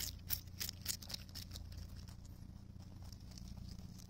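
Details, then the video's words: Cabbage being chewed by a rabbit on Okunoshima, Rabbit Island, June 2021. Loud crisp crunches come first, then softer, rapid, irregular chewing clicks, all over a low background drone. "【キャベツしっかり噛んで食べてるね 健全な咀嚼音】大久野島 うさぎ"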